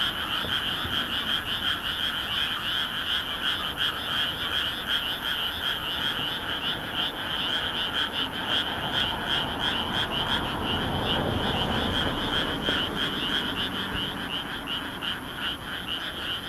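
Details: Frogs calling in a great chorus from a rice paddy in Nagoya, Japan, on a moonlit night, 13 May 2016, recorded on a Canon SX600HS; dense rapid pulsed croaks repeat nearly three times per second over a steady background hiss.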